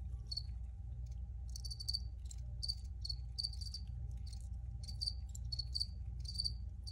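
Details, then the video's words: Cricket chirping steadily, short high buzzy pulses repeated about every half second, some grouped in pairs, above a low continuous hum. "Free Cricket Sounds for Re-Use or Relaxation"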